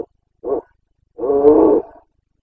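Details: Carpathian red deer stag in Bucovina during the breeding season, 29 September 2022, roaring: a short grunt, then a longer harsh, resonant bellow of about half a second with strong banded harmonics.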